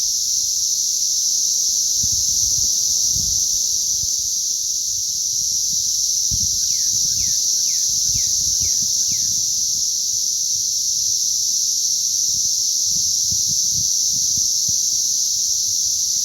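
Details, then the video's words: Cicadas during a hatch on May 20th 2034, a dense, unbroken high-pitched shrill drone holding steady throughout, with a brief run of six quick downslurred notes near the middle and faint low rumbling below. "ATTACK OF THE CICADAS"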